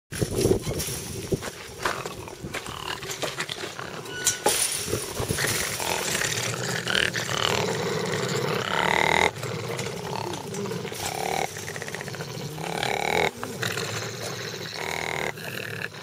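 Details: Seven rescued bat-eared foxes being rehabilitated in a semi-release camp near Ladismith, South Africa, growl together at a dog during their evening feed by the gate on April 13, 2020. The growl is a rough, rasping rumble broken by higher whining notes.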